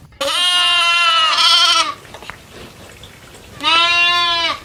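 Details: Goat bleating on a farm where goats graze in the fields with cows, buffalo and monkeys: a long, quavering, nasal bleat of nearly two seconds, a quiet pause, then a second shorter bleat.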